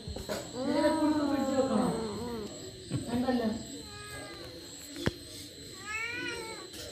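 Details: Kitten eating a rat with a funny sound: drawn-out wavering meows near the start and around three seconds, later a thinner rising cry, over steady background hum with a sharp click.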